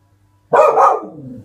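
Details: A Springer Spaniel puppy barking at something outside: one loud, rough bark, quickly doubled, trailing off into a fading lower tail after a moment of silence.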